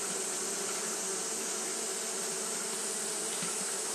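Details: Japanese honey bees fanning on a hot day produce a dense, constant buzzing drone. A bright high hiss runs alongside, with a faint tick just past the midpoint.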